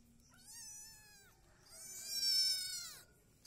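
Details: Kittens of mixed Peaknose and Javanese breeding at breakfast in a village, one crying two drawn-out meows, the first steady and under a second long, the second louder, higher and rising then falling, with little background noise.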